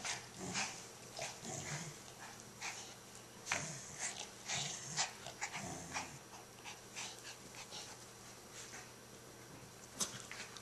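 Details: Puppy at play as Lucy tries to take a toy from Toby: short low grunting growls and snorts in the first half, with many sharp scuffling and clattering noises from the toy and paws throughout.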